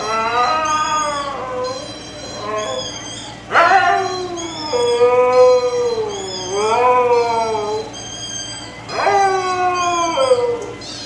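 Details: Two Siberian Huskies, one copying the other's voice: long wavering howls, rising then falling, several in a row, with a sharp louder yelp-like howl near the middle and a steady high whine in the background.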